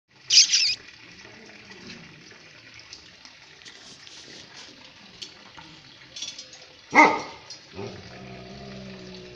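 A dog gives two loud, harsh barks several seconds apart over a faint background hum.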